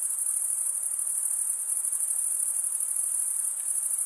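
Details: Short burst of cricket chirping, produced by stridulation with the wings: a shrill, pulsing high trill continues without pause over quiet background hiss.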